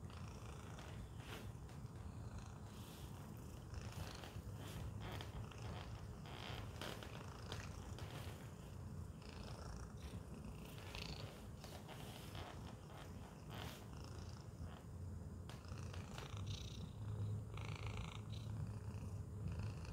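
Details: Pet cat Tacy, boxed up in a Chewy carton, keeps up a long steady purr, low and rhythmic, while small clicks and rustles come and go.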